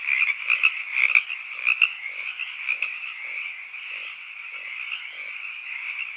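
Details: Frogs and crickets in an evening night ambience, a continuous high-pitched insect-like trill under evenly spaced short croaks and chirps recurring about twice a second, fading slightly toward the end.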